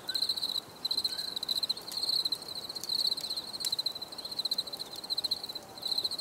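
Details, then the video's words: Crickets chirping for relaxation: bright, high trilled bursts about half a second long, separated by brief gaps, with occasional sharp clicks and light background hiss. "Les grillons || Bruit de Grillons Pour la Relaxation Anti Stress"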